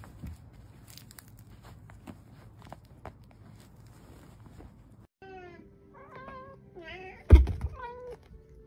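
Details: Domestic cat meowing indoors, a few short harmonic mews with wavering pitch in the second half, preceded by low room noise, with one sharp knock near the end.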